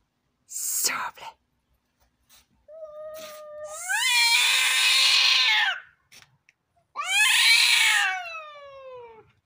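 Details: Cats fighting: a sharp hiss burst, then two long harmonic yowls, each rising in pitch and then sliding slowly downward, with brief noisy spits between them, all indoors.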